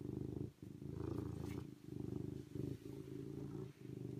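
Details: A serval purrs in loud, deep, vibrating stretches of roughly one second, separated by short breaks, and there is a brief soft higher rustle near the middle.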